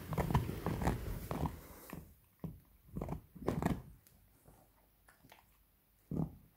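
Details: Pig bone chewed by a seven-month-old beagle pup indoors: a rapid flurry of crunching bites for two seconds, then separate sharp cracks roughly every half second with quiet between.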